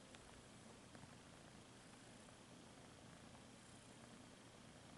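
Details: Quiet, steady purring from a house cat, low throbbing hum nearly buried in even background hiss, with faint ticking taps.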